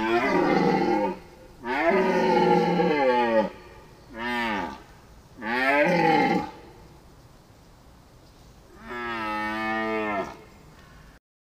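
A deer gives long, moaning bellows, each rich and wavering, with pauses between them.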